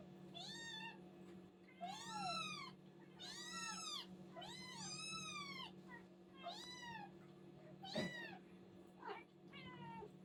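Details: Little kittens calling from hunger: a string of high, curved mews, some long and wavering, some short and clipped, with a brief bump near the end and a faint hum throughout.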